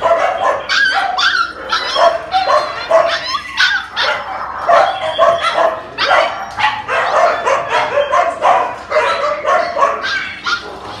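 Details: Phu Quoc Ridgeback dogs of various ages bark and yip in quick, overlapping bursts.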